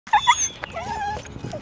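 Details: Huskies pulling riders on longboards at over 20 mph during urban mushing, excited at the start. Short high yips come first, then a drawn-out wavering whine, with a person calling out nearby.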